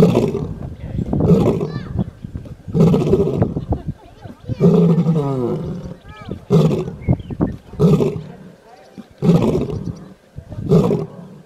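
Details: A lion, apparently asleep, gives a series of deep, rasping roaring grunts, repeated roughly every second and a half.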